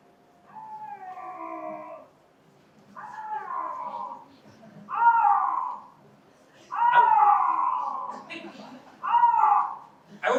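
A bobcat gives a series of drawn-out, wavering meows, somewhat deeper than a house cat's.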